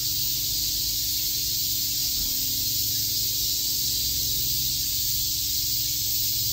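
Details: Summer chorus of cicadas in Shakujii Park, Tokyo, a continuous shrill buzzing wash that stays even for the whole stretch, over a soft low rumble of background noise.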